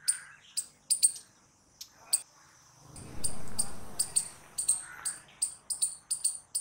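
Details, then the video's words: Squirrel calling loudly with sharp, high, spaced chips that speed into a quicker series, over a brief low rumbling noise partway through. "Squirrel Noises Loud | Squirrel Sound Video"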